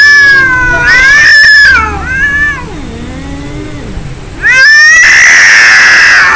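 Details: Angry cats fighting: long wailing yowls with rich harmonics, rising and falling, a low growling moan in the middle, then a loud harsh screech at the end.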